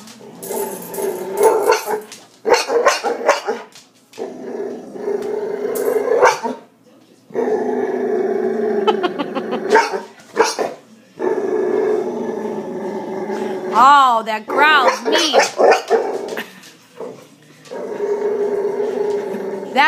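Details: A Boxer whose bark became hiccup-like after kennel cough as a pup gives a run of hoarse, choppy, hiccuping barks and growly bursts. A person talks to him and urges him to bark.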